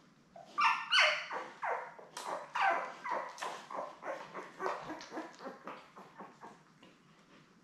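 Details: Rapid run of squeals and yelps from Labrador Retriever puppies, seven born May 24, 2021, kept with their mother Belle and watched on a live cam on 3 June. About three cries a second, sharp and wavering, strongest early on, then fading.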